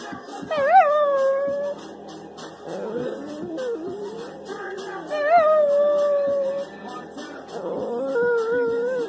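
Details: Elderly female Chihuahua and Jack Russell Terrier dog singing along to her favourite song, Turn Down For What: drawn-out, wavering howls that slide up then settle, several in a row over loud thumping music, with a woman praising her.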